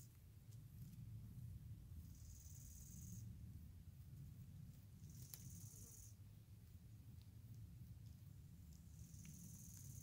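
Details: Chorthippus pullus, the gravel grasshopper, giving short high hissing buzzes roughly every three seconds, quiet against a low rumbling background with a few faint ticks.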